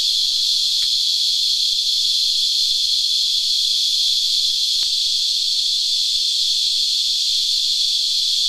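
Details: Cicadas, locally called Christmas Beetles, singing while sucking sap from a tree: a steady, unbroken high-pitched whine, very loud and continuous throughout, with a few faint clicks underneath.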